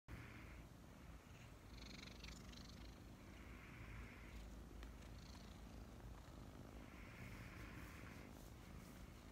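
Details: Two kittens about five months old snuggle in the morning and purr. A soft, continuous low rumble runs throughout, with faint breathy sounds now and then.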